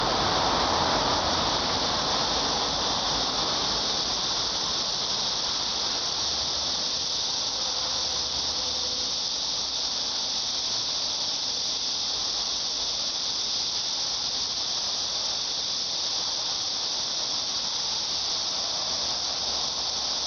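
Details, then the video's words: Cicada calling in a steady, unbroken high-pitched shrill that holds evenly for twenty seconds with no pauses, a dense hissing wall of sound and a faint low rumble underneath. "매미 소리"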